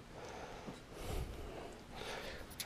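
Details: A dog named David T. Dog, called Dave, plays with his owner indoors. He gives two breathy, snorting huffs about a second apart, rough and noisy rather than tonal, with faint room noise between them.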